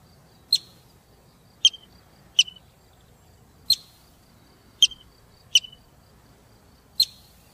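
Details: Marmot, a large squirrel-like rodent, giving seven short, sharp, high whistles at uneven gaps of roughly one second, each a bright piercing chirp over a quiet, faintly hissing background.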